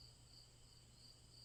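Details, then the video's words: Crickets chirping in a steady, repetitive chorus: a continuous high, shimmering trill with brighter pulses roughly every third of a second, over a faint low hum. "Crickets Chirping"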